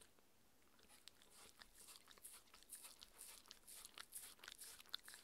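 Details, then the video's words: Mindy, a six-year-old female Shetland Sheepdog, eats her raw beef dinner indoors: soft, crisp crunches and wet chewing bites come in irregular bursts, growing denser toward the end, with no talking in a quiet small room. "Dog eating Sounds"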